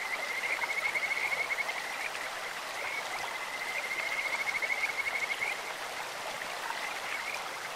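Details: Kajika frogs croaking in a clear stream: two long trilled runs of rapid, high, whistle-like pulses at a level pitch, the second rising in volume. Running water rushes steadily beneath.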